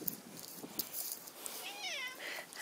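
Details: Neighbour cat, one of two outdoor neighbourhood cats including One-eye meeting a second cat; a single drawn-out meow rising then falling with clear harmonics near the end, over quiet background rustle and a sharp sound at the close.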